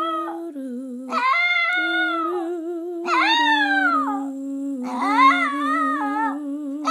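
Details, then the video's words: Pet Chihuahua Chico, aged five, singing along to Christmas carols at home: three bright arched howls that climb and sag, each lasting about a second, over a human voice holding low sustained tones. "Chico the Chihuahua singing Christmas Carols"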